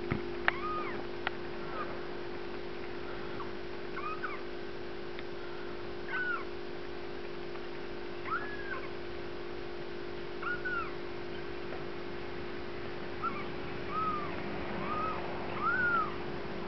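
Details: Bengal kittens from Lennox's first litter rolling around at play, giving a series of short, high, arched mews spaced every one to two seconds, fairly quiet over a steady low electrical hum.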